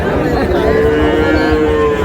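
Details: Sahiwal bull calves at a cattle market in Chandpur on 15 May: one steady, drawn-out moo holds at an even pitch for about two seconds, with a faint murmur of voices behind it.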